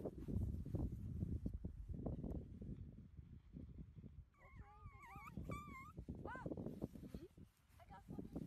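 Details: Shih Tzu puppies whimpering: a few thin, wavering high whines that rise and fall over about two seconds, set against steady low rumbling noise and handling sounds.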